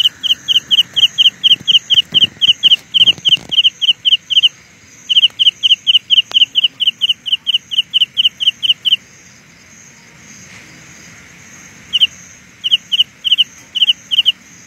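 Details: Carolina ground cricket chirping rapidly in quick, high pulse pairs, a fast steady run that stops for about three seconds, then resumes in sparser groups.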